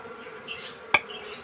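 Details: Honey bees at the comb of their hive while honey is taken, a steady droning hum held on one low pitch with a fainter higher overtone, broken by a single sharp click near the end.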